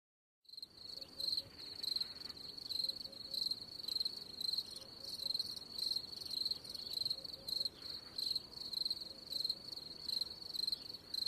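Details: Cricket chirping steadily: high, bright pulsed chirps, about a hundred a minute, in a continuous rhythmic train over a faint low background hiss.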